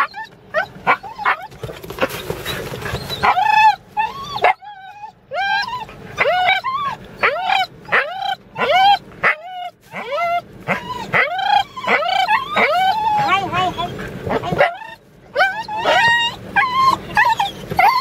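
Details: Wheaten Terrier whimpering and yelping almost nonstop for eighteen seconds, rapid pitched cries that rise then fall, packed in quick runs with a few brief pauses and some barking-like yips.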